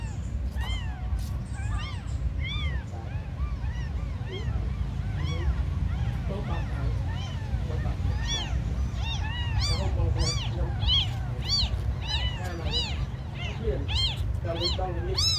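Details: Abandoned kittens, called the smallest, calling persistently: scattered arched mews at first, building to a fast, crowded run of high cries from several kittens, over continuous low rumbling noise.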